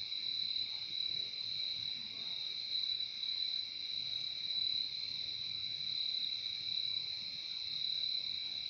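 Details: Nature recording of crickets: a constant high trill ringing in two stacked bands, uniform for the whole stretch, with slight waves of loudness and faint low murmur.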